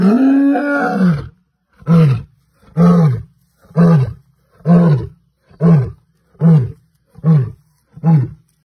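A lion gives one long moaning roar followed by a series of short, deep grunts about once a second.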